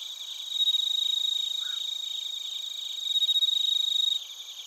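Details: A chorus of crickets, including bell crickets, recorded in Narita, Chiba, Japan, with a TASCAM Portacapture X8. One nearby insect gives loud, fast pulsed chirps in two bursts over a continuous shrill, ringing background of overlapping trills.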